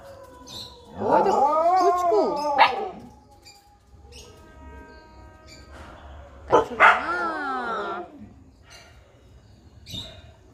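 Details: Puppy giving two long, wavering howling whines, rising then falling, separated by a pause with a faint steady hum and a few small clicks.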